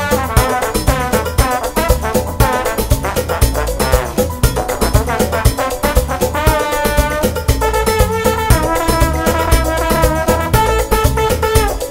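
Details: Loud brass-led orchestral music plays throughout with a strong, regular beat.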